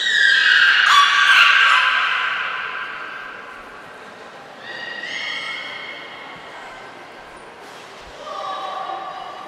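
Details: Beluga named Niko during a training session at Port of Nagoya Public Aquarium on 25 February 2024. A loud, buzzy, harmonic squeal slides slowly downward, then softer steady tonal whistles return twice, indoors.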